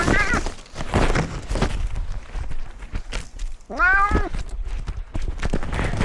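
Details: Pet cat in a newly renovated catio, filmed from outdoor cat Simba's camera: one strong, drawn-out meow that rises then falls, with a shorter meow at the start, over scuffling, footsteps and handling noise.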